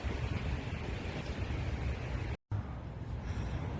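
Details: Steady low rumble of traffic or engine noise, briefly cut to silence partway through, with no animal calls.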